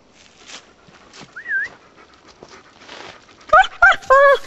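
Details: German Shepherd on a hike in the woods: a short wavering whine, then three loud, harmonic, yelping barks close together at the end, over quiet rustling background.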